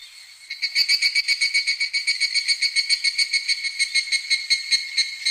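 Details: Midsummer evening cicada song. After a faint start, a loud, steady, ringing pulsed chorus kicks in abruptly, with closely spaced, bright, metallic beats repeating several times each second.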